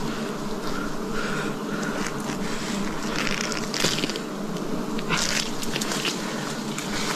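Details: Wild bees buzz loudly around a forest honey harvest in 2026, a steady, thick drone rich in overtones, overlaid with crackling and scraping bursts, strongest near four and five seconds.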